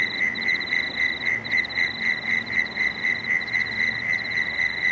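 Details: At dusk along the Cooks River, Marrickville, frogs keep up rapid, evenly spaced clicking pulses, roughly four per second, layered with a fainter higher pulse train and soft low background rumble.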